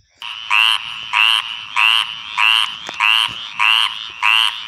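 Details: Male tree frog calling at night in the mating season to attract a female: loud raspy trilled notes, each about a quarter second long with a rising end, repeated steadily roughly every 0.6 seconds.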